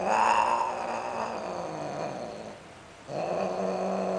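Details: Sterilized cats, a Greek shorthair and a Siamese, mating and calling very loudly: drawn-out, wavering yowls that slowly fall, break off for a moment, then return as a steady, lower howl.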